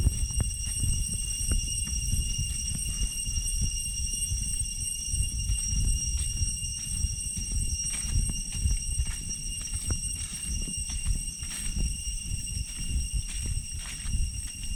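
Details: Cicadas in deep jungle hold a steady, high metallic drone while footsteps crunch along the trail back from Chhay Yong Waterfall, Areng area, Koh Kong Province, Cambodia.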